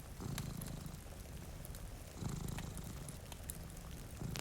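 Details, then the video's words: Purring from two cats asleep by a rainy window: deep, throbbing bursts roughly a second long, three swells in quick succession, with soft rain and faint crackling from a nearby fire. "Purring Cat"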